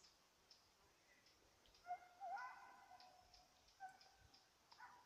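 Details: Petit Basset Griffon Vendéen baying while chasing a rabbit, recorded 5 October 2014; distant drawn-out, slightly wavering bays rise and fall in a few bursts, over steady high ticking and chirping in the background.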